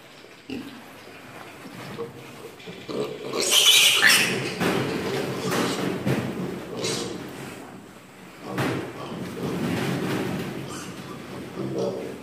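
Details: Piglets squeal while receiving vaccine injections. Harsh, loud, broadband shrieks peak around the fourth second, with another burst near eight and a half seconds, over a person talking and handling noises.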